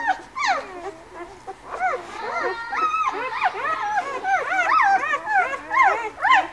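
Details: White Swiss Shepherd pups from a breeder's litter born on 11 August, crowding together in a chorus of curved, whistly whimpers that swell and fade, rising pitch arcs repeated about twice a second.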